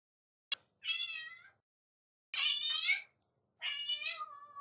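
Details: Black-and-white bicolour domestic cat left home alone, greeting its owner on return; three drawn-out, harmonic meows about a second each, separated by short silences, with a brief click before the first.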